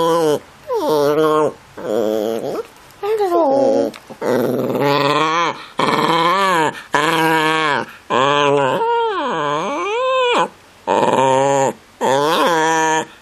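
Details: Pet dog howling as if trying to say "hello", filmed in early 2015: a run of wavering, rising-and-falling harmonic yowls in short bursts about a second long, separated by brief pauses, with the tone bending up and down like speech.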